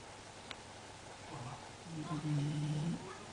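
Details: Sleeping Basenji dog snoring, one low, buzzy, drawn-out snore lasting about a second, preceded by a softer rasping breath, with a quiet indoor background.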